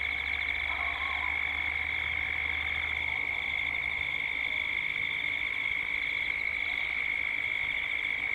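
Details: Cicadas at dusk in Gippsland, Australia, a steady unbroken drone with a bright high band and a pulsing shimmer above it, over a low rumble that fades after three seconds.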